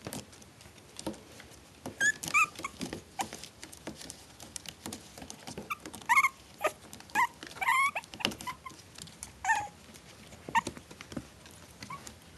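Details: Litter of four-week-old Maltese Shih Tzu cross puppies; short high whimpers and squeaks, some rising and wavering, scattered through the recording among constant scratching, shuffling and pattering of small paws.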